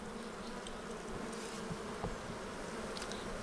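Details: Honey bees in an opened hive during removal of burr comb from a frame, giving a dense, steady hum with faint scraping sounds.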